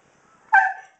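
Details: A sixteen-year-old Husky named Kobi vocalizes right before dinner, as he does every night, with one sudden, loud, short yelping call that starts sharp and trails off quickly, with no other sounds.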